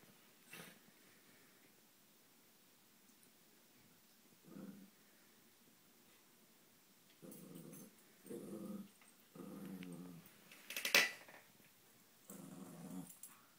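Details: Two pet dogs, a Husky and a Miniature Pinscher, indoors while one gives the other a playful massage; low grumbling growls come in five short bursts of about half a second each, with blanket rustling and a sharp thump midway.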